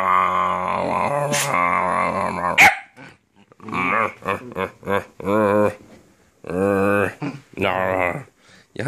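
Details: A Sheltie puppy named Titiuu playing indoors in an apartment, vocalising at length. A drawn-out wavering whine-like howl is followed by a series of short, rising and falling yelps and grumbles. A woman's voice is heard too.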